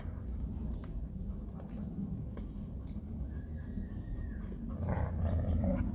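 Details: Labrador Retriever and Hungarian Vizsla fighting over a ball; low, rumbling continuous growling throughout, with a few brief higher scuffling sounds and a louder burst near the end.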